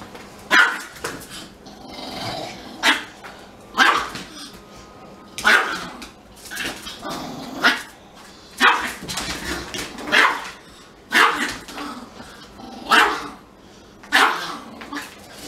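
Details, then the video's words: Siberian Husky crying because it is not allowed to smell a Pomeranian; sharp, short yelping cries repeated roughly every one to two seconds, fairly steady, with quiet room noise between them. "Little Dog makes Big Dog CRY"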